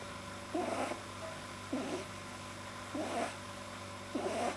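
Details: Pet rabbit producing strange noises when deeply relaxed, blamed on a too-long soft palate, 9 January 2010: four hoarse, snoring-like snorts spaced a little over a second apart, above a constant low indoor hum.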